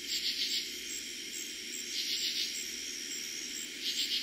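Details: Night chorus of katydids in eastern Pennsylvania, summer 2021, first night heard that season; three raspy pulsed bursts roughly every two seconds, each a quick run of clicks, above a continuous shrill cricket trill.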